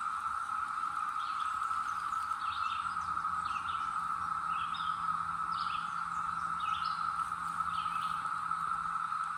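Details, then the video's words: Seasonal Brood X cicada chorus from the North Georgia mountains in 2021, a constant humming drone overlaid by short repeated bird chirps every second or so and a low steady hum. "Tranquil Sounds of North Georgia: Cicadas 2021"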